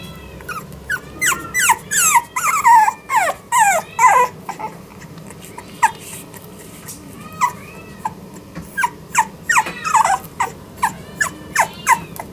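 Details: French Bulldog puppy, a female born 24 October 2021, at the Hiramatsu Kennel pet shop in Yokosuka, Kanagawa, Japan, giving a rapid series of high, squeaky whines and yelps that slide downward, in bursts with short pauses.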